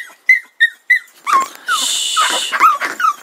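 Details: A pug puppy objecting to a cat in its yard gives three short high whimpers about a third of a second apart, then sliding whines over a burst of hiss-like noise, with a person telling it to go away.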